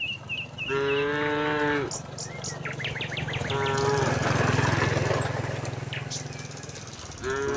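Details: Tame village cattle running down a hill toward their pen: two drawn-out harmonic moos, one long and one cut short at the end, with chirping birds and a steady low rumble underneath.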